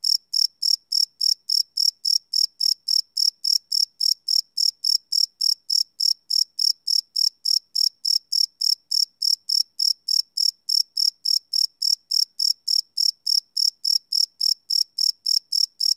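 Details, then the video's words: Night-time cricket chirping, recorded live with a Sony PCM D100 and no looping. Shrill, even pulses repeat roughly three or four times per second, unbroken across the whole stretch against a silent background. "Cricket Chirp Sound - Cricket Sounds at Night"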